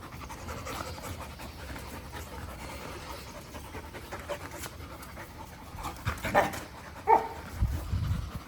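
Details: Agitated dog panting steadily, then two short, sharp bark-like bursts about a second apart, followed by a low rough breathy sound.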